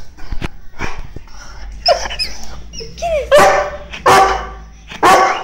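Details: Pet Weimaraner dog greeting someone arriving home, crying with excitement: high, sliding whines that curve up and down, broken by sharp yelping barks, with a person speaking softly in Spanish.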